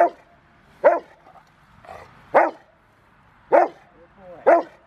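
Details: Rottweiler River v Schwarzerwald, a five-year-old male in bite training ahead of a February 16 ZTP trial, recorded January 20, 2020; loud, separate barks spaced about a second apart, with a faint voice in between.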